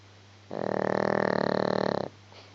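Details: Sleeping pet dog named Gizmo gives a single long snore of about one and a half seconds, a buzzy vibrating rattle at even strength, then quiet with a faint low hum behind.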